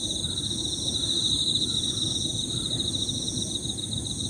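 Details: Several Emma field crickets calling together in high-pitched, overlapping 'piririri' trills. They form a steady shimmering band with a faster pulsing layer above it, over a low rumble of background noise.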